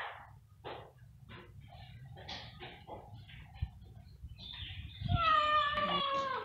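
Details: Stray cat waiting for food: short scattered clicks and taps, then a drawn-out harmonic meow in the last second and a half, wavering slightly in pitch.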